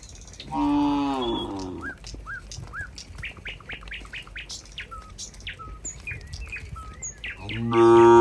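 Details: A group of cows walking neatly back to the pen: a drawn-out moo opens, then a long stretch of chirping and whistling birds, and a second loud moo begins at the very end.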